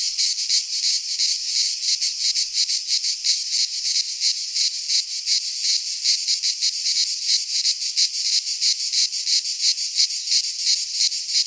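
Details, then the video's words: Chorus of cicadas in a pine forest in Greece at midsummer, a loud shrill rasping drone pulsing about three times a second, even and sustained across the whole stretch. "Cicadas singing in midsummer - Nature sounds from the Greek fauna - Sounds of cicadas"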